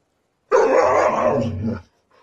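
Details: White Siberian husky, one of a pair, vocalizing at bedtime in a nagging-style 'talk': a single drawn-out, harmonic, moaning grumble of over a second that trails off, then a faint brief sound after a pause.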